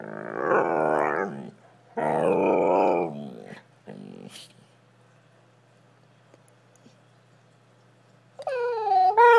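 A Siberian Husky gives drawn-out, growly, wavering howls and ends with a high whine, seeking attention.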